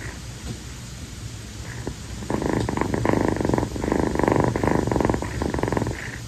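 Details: A rescued calico kitten named Kii, female and born in late April, snuggles affectionately on her owner's feet on a sweltering night. After about two seconds of near quiet, a steady, loud, throbbing purr sets in and continues to the end.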